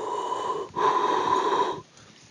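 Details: Manatees, most likely West Indian, circle a boat on Crooked River at Coopers Flats; one surfaces beside it with a deep, forceful exhalation, a breathy snort lasting about a second.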